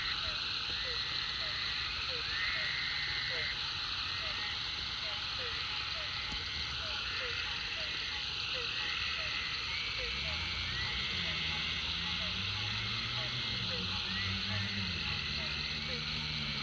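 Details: Chorus of frogs at the Food Lion pond following heavy rain, rapid repeated short chirps and regular higher trilled bursts over constant hiss, with a low engine rumble rising in the second half.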